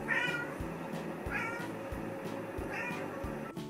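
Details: Maine Coon cat. A Maine Coon cat meows softly three times, each call brief, gentle and slightly rising, spaced a little over a second apart. A rhythmic musical beat plays underneath throughout.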